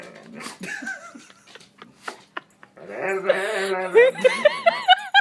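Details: Indoor dog making strange noises: after a few soft sounds and clicks, a sustained harmonic whine breaks into a run of short rising-and-falling yelping notes, about five quick arched calls in the final two seconds.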